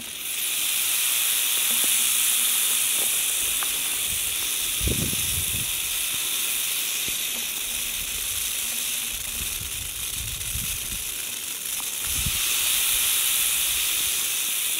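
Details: Western diamondback rattlesnake ready to strike, rattling continuously: a steady, dry, high-pitched hissing buzz that runs unbroken for the whole stretch, with a few soft low thumps and knocks underneath.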